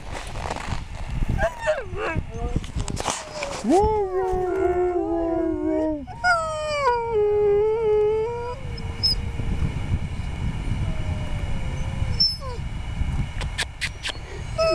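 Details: Several Huskies at a sled-ride outing in Schröcken am Hochtannberg break into overlapping howls midway, long level and gently falling tones layered as a chorus, then one softer lone howl; clatter, sharp knocks and steady low rumble surround them.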